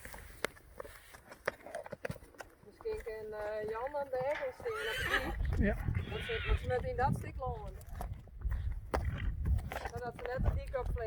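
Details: Young Friesian horses being led between pastures in the Netherlands, one giving a long wavering whinny with stacked quivering tones, amid people talking, hoof clip-clop and outdoor noise.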